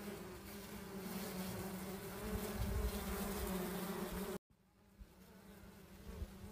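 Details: Wild honey bees hum with a steady, low droning buzz that cuts off abruptly and returns fainter.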